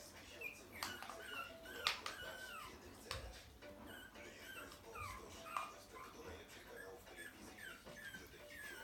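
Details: Several puppies yelping and whimpering in overlapping high, short cries with sliding pitch, scattered irregularly through the recording, with thumps and voices in the background.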